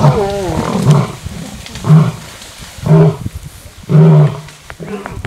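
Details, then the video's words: Lions fighting over a buffalo kill, uttering a series of loud, short, groaning snarls about once a second, deep and throaty with wavering harmonics, separated by brief quieter gaps. "Lions fighting over buffalo kill"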